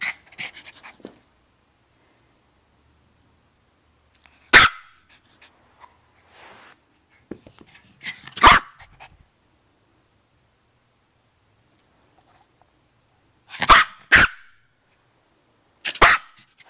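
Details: Sassy post-bath zoomies from Tinker Lilly, a 1 year 2 month old female Maltese with a fresh summer haircut: single loud, sharp barks spaced several seconds apart, one quick double bark, quiet pauses between.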